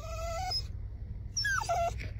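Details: Kooikerhondje dog whining in excitement, too impatient to wait for the dog run: high, thin whines with a level pitch, then a falling one, separated by a short pause over a steady low rumble.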